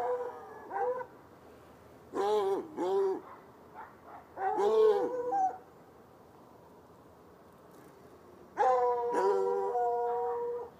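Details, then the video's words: Baying from two chained hounds, one white and one dark, outdoors on a Saturday night across an irrigation ditch: short yelping barks in quick pairs, a gap, then one sustained, steady howl-like bay lasting over two seconds. "Barking dogs"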